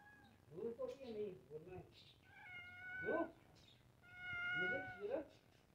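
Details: One of two pet cats meowing indoors: two drawn-out, even-pitched meows about two seconds apart, each ending in a louder, lower burst, after a stretch of low murmuring voice-like sounds at the start.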